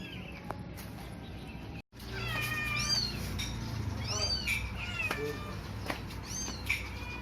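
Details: Newborn kittens, four found left on a cloth in a cemetery in Indonesia near dusk, eyes still closed; a run of high, arching, harmonic meows follows a brief break, calls coming about once a second, with low background rumble.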